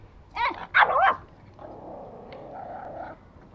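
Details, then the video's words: Angry toy Pomeranian, a male dog kept as a pet in Kathmandu, Nepal, attacking: two sharp, high yapping barks in quick succession, then a softer, drawn-out whining sound. "Angry Pomo attacking"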